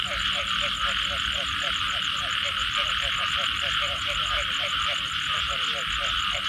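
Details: Rain-soaked night with frogs calling: rhythmic, closely spaced croaks keep a fast even beat while a bright constant trill and a high pulsed buzz fill the background.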